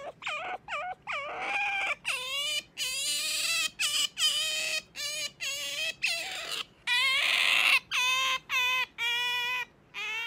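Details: Sakura, a pet otter, waking its owner indoors in the morning: loud, rapid, harmonic squeals that rise then dip, about two or three per second, some drawn out into longer whining notes, with short silent gaps.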